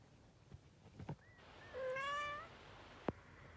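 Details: Three-week-old kittens: one high, thin meow rising then holding steady for under a second, with faint shuffling and a sharp click afterward.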